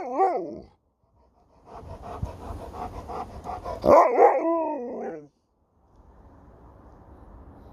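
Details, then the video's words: Alaskan Malamute named Sherpa talking back while being spoken to, a wavering, warbling howl-like vocalization with bending pitch at the start, then a louder yodelling burst of rising and falling moans, with a person's voice and room noise in between. "Dog won't let me Finish a Sentence without Talking Back!"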